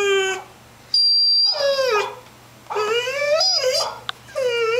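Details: Ten-month-old puppy barking at dogs on a computer screen: long, drawn-out tonal yowls that rise and fall, three bursts separated by short silences, with a steady electrical hum beneath.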